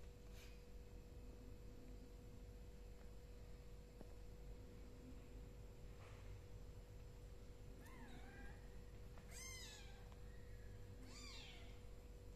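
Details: Hungry kittens indoors in a house calling out: after a quiet first half, about four short, thin, high-pitched meows, each rising then falling, come in quick succession near the end over a steady low electrical hum.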